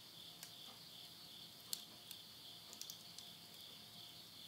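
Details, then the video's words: Insects at midnight in the Tottori countryside, Japan, September 2020, end of summer: a steady shrill whirring continues without pause, with a few loud cracks and softer ticks from wood burning in a stove. "the voice of insects"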